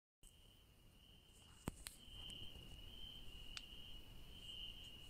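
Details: Crickets at night in a garden where yellow daisies grow: a steady, high, unbroken trill begins after a brief silence, joined by a few sharp clicks and a low background rumble.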